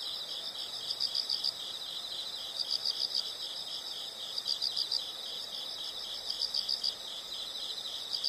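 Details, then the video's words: Insect chorus for study and sleep: continuous high-pitched pulsing with clusters of four to five brighter chirps recurring roughly every one and a half seconds, soft hiss beneath. "the sound of insects"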